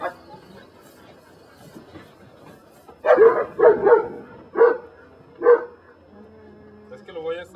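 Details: During personal-protection control training in Mexico, Brujo, a Belgian Malinois from the des Champs kennel, stays quiet while a man talks, then bursts into five heavy barks in quick succession, the first few running together.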